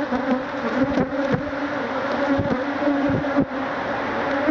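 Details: A mass of Africanized honey bees attacks a man taking out their hive, a cloud of stinging insects; a loud, continuous droning buzz, lightly wavering, punctuated by soft taps.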